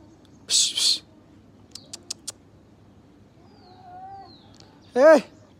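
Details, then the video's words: Gray tabby cat and ginger cat fighting: two loud, harsh hissing bursts, then a few sharp clicks and a faint low tone, ending with one short, loud yowl that rises and falls. "Gray tabby cat VS GINGER CAT FIGHTING VERY dangerous"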